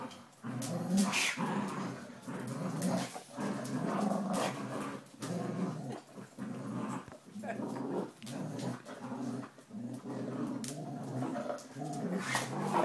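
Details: Twelve-week-old Border Collie puppy growling during a tug game with a 9-year-old Springer Spaniel; continuous low rumbling growls broken by short gaps, with a person's voice faintly heard.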